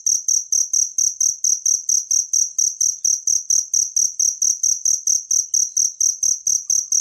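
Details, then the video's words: Natural cricket chirping for songbird training: crisp high pulses come in a steady, rhythmic train at about four per second, with no other noise. "suara jangkrik alam buat masteran burung gacoan anda"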